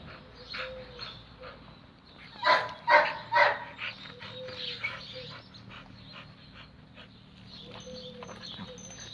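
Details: Red-nose pit bull Oscar with chocolate female Müdür at mating time: three strong whining yelps close together, then softer whimpers and handling noises before leashes get tangled.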